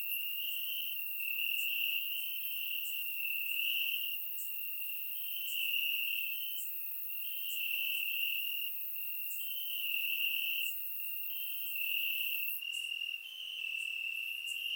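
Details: Night chorus of crickets in grass, warm summer evening in Bulgaria, surround-microphone recording; a high, unbroken trilling drone swells and fades in waves every couple of seconds, overlaid by sharper ticking chirps from further insects.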